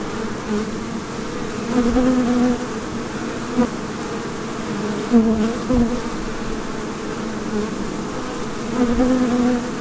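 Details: Many busy bees making honey hum together in a steady, low buzz that swells and fades as individuals fly close past the microphone.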